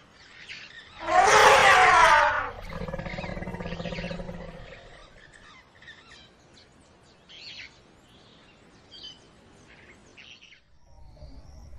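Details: Lin Wang, an Asian elephant, lets out one loud, harsh, brassy trumpet blast lasting about a second and a half. A lower, steady rumbling tone follows, then fades into quiet outdoor background with faint chirps.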